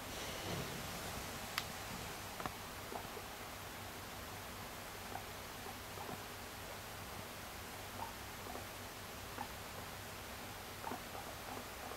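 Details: A quiet indoor room with faint hiss, occasional soft ticks and light rustling; no animal calls are heard.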